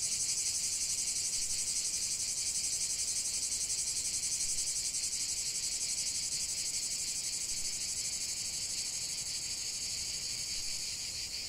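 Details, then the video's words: Chorus of singing cicadas: an unbroken, hissing high-pitched drone with a rapid rhythmic pulsing, level throughout and fading only slightly near the end. "45 min de chant des cigales"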